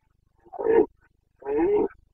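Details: ['Carpathian red deer stag roaring during the breeding season in Bucovina, 29 September 2022: two hoarse, harmonic bellows about half a second each, separated by a pause of roughly half a second, in quiet surroundings.']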